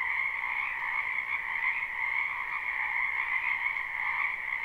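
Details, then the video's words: Numerous frogs calling in a spring wetland, recorded live: a quieter, seamless chorus of rapid croaks in a lower and a higher band, with a faint low background hiss beneath. "Ambient Noise for Sleep Frogs"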